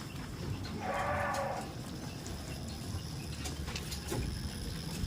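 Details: Tame goat at a goat farm giving a single drawn-out, harmonic bleat of about a second, then scattered knocks, rustling and a low steady rumble in the background.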